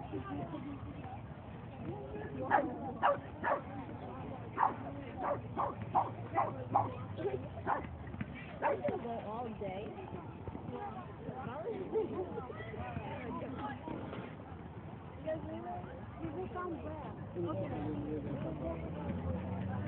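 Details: Boston Terrier in a dog run, 22 May 2011: a flurry of short, sharp barks clustered between roughly two and nine seconds, then quieter, with people talking throughout.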